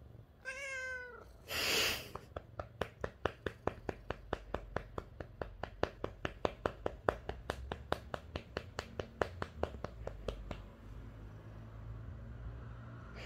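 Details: Lynx point Siamese tomcat, a pet indoors, gives a short complaining meow over stopped tapping, followed by a loud rustling burst and then a long run of fast, steady pats on his behind, about two per second.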